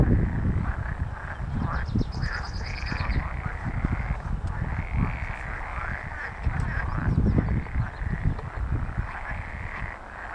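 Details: Pool frogs (Pelophylax lessonae) call together in a dense chorus of rattling, quacking croaks at Empese en Tondense heide, 24 April.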